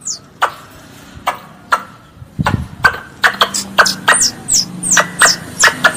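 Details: Pest squirrel calling for its mother with loud clicks and knocks at first, then a quickening run of thin, high chirps that slide downward, each followed by a short lower note, over a faint background hum.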